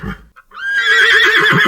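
A horse gives a high, quavering whinny that wavers rapidly as it carries on.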